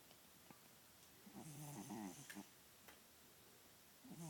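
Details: A male domestic cat asleep indoors, snoring: one soft, rough, voiced snore swells for about a second mid-clip with another starting near the end. Faint clicks and a quiet background hiss fill the gaps.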